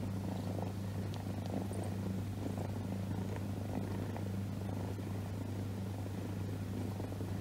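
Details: Domestic cat purring while resting on its owner's lap indoors; a steady, low continuous rumble with a faint hum underneath, no other clear sounds.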